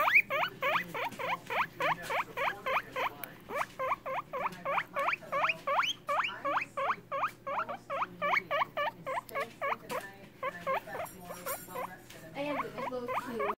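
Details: Steady run of guinea pig wheeks, about three rising squeals per second, each a quick upward sweep, continuous for most of the recording and fading into softer, lower chirps near the end; a constant low hum underneath.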